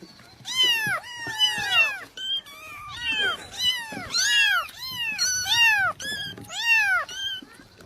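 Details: Playing kitten with a ball calls almost nonstop, a dense run of short arched meows nearly one per second, signalling it wants to play too; soft background noise underneath.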